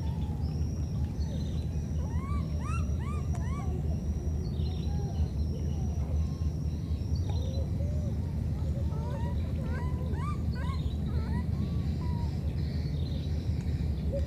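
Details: Two wild baby monkeys separated by a flood call to each other with squeaky, arched cries in quick bursts over a steady low rumble; monkey.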